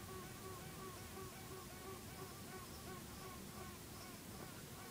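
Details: Western honey bees in a hive give short repeated tooting notes over a dense buzzing hum; the observer was told an old and new queen were battling, and next day half the bees left with one queen.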